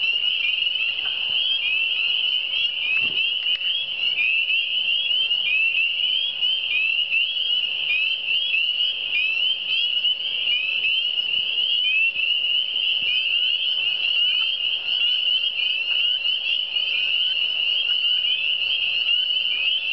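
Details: Relaxing chorus of frogs in the Eastern Townships: a steady shimmering band of shrill, upward-sweeping peeps from countless callers, unchanging for the whole stretch, over a faint hum and scattered soft taps.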